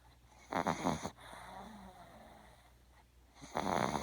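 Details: Sleeping puppy Little One, a small female dog, gives two loud snores about three seconds apart, each a rough, rattling, buzzy breath, with a soft low hum between them.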